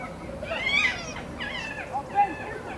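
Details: Noisy foxes basking in the sun make several short whining, warbling calls in quick succession, each bending up and down in pitch, with a couple of brief yips near the end. These are said to sound like their mating noises.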